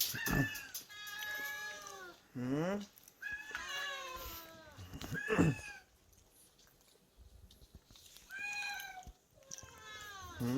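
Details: Repeated meows at a rural island shelter for about forty rescued cats and dogs, home to Bomi, a cat with a pretty voice. Several calls bend downward or rise and fall, with short gaps between them and some handling noise.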